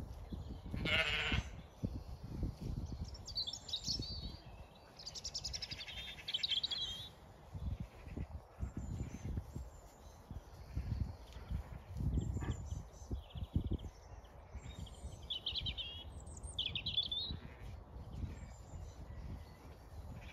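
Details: Zwartbles ewes and lambs graze fresh, wet pasture on a regenerative farm in County Kilkenny, Ireland. A single short, harsh bleat comes near the start, followed by the steady tearing and munching of grass, with small birds chirping in the background.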